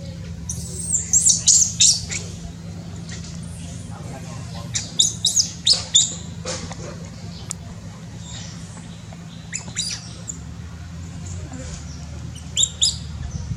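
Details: A baby monkey, just born in Cambodia, calls in scattered groups of shrill, high squeaks, some quick and stuttering, separated by quieter gaps, with a constant low hum underneath.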